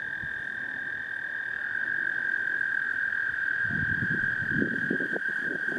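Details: Toads singing at Lake Cheston: a steady, unbroken high trill from many callers runs through the whole stretch, with low rumbling knocks and thumps rising underneath in the final two seconds.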